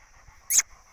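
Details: A Rottweiler puppy playing in an outdoor play area, with its owner urging it on, lets out one quick, sharp yelp over a faint steady background hum.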